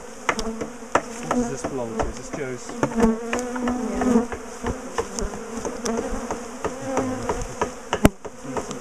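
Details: Honeybees from a big, defensive colony being dismantled, split and moved out of a top bar hive; a dense, steady buzz with wavering hum bands, broken by repeated sharp knocks and taps of hive work.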